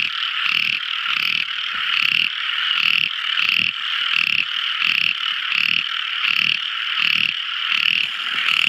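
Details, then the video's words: Tiny frog singing at night: rapid throaty croaking pulses, about 85 a minute and slightly uneven, over a steady high-pitched ringing chorus. "Tiny Frog Crying | Never Listening So Beautiful Frog Song! At Night Time!"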